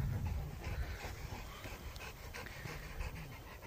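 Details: A Cane Corso pants while relaxing after temperament tests, with fast, even, breathy panting through a steady hiss of background noise.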